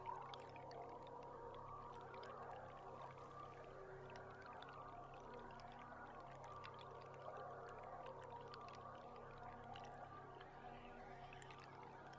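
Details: Wild beluga whales recorded underwater from a boat camera in July, with many faint chirps, whistles and clicks scattered over steady low engine hum and water noise.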